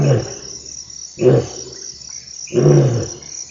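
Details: African bushveld lion giving short, deep, hoarse grunts spaced about one and a half seconds apart, with constant high-pitched insect trilling behind.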